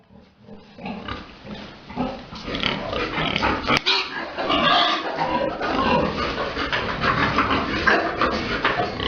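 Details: Pigs on a breeding farm while a big boar mates a sow: a dense, continuous mass of loud rough grunts and squeals overlapping from several animals, with a harsh noisy texture throughout.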